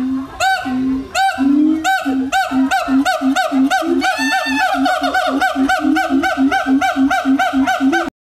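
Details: A siamang at Lembang Park Zoo, Indonesia, gives loud, rhythmic, honking barks repeated several times a second to attract a mate.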